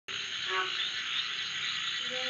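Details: Insect locally called dangis, described as bee-like and not a cicada, at Monkey Beach, Siquijor, in a heavily wooded area. A steady, high, even buzz runs throughout, with faint voices and a brief dropout near the end.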